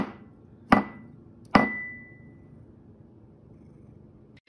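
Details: Two sharp wooden knocks about a second apart, the second leaving a brief ringing tone, over quiet room hiss with no animal voice.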